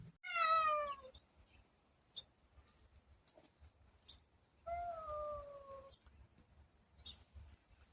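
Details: Pet cat, among six house cats whose voices are compared, making two clear meows about four seconds apart: a bright, falling first call and a steadier, longer second one, with faint rustling in a quiet room.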